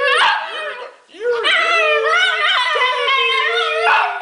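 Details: A pet Italian Greyhound singing along with its owner, giving a sustained, wavering howl with bright stacked harmonics that slides up and down over several seconds, after a brief dip, with a human voice mixed in.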